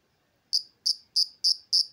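An insect gives a steady series of shrill, high chirps, about three every second.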